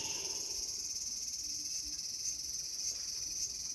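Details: Cicada in a small garden on August 5, 2020, producing a sustained shrill buzz with a gentle throbbing pulse, roughly two surges per second, over a quiet background.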